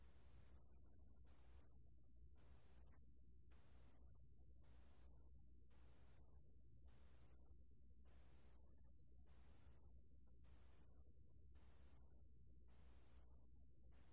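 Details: A pale-coloured bell cricket (담색방울벌레) gives high, pure trilled bursts about once a second in a steady series.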